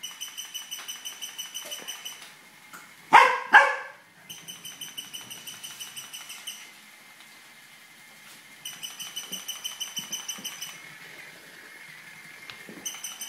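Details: Tibetan Terrier barks twice in quick succession while chasing a toy rat. The short, harsh barks stand out against the toy's rapid, buzzing electronic chatter, which starts and stops throughout.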